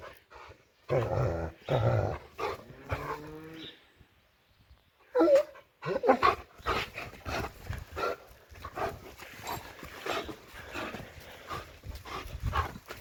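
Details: During rough play, a female pet German Shepherd gives drawn-out harmonic growls and whines, then a sharper yelping burst, followed by a long run of panting and scuffling thumps.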